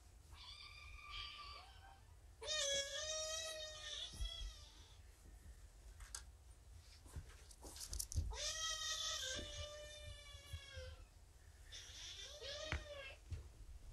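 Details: Young rescue kittens, about seven weeks old on arrival, found abandoned roadside and cared for at Purrfect Pals; a morning session indoors brings a run of four bright, drawn-out meows, each bending upward then sliding down, with quiet gaps of handling noise.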